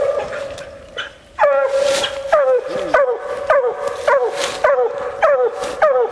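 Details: Female Bluetick Coonhound coon hunting, barking quickly and steadily after a brief rustling start, short falling barks nearly twice a second, with brushy crackling behind.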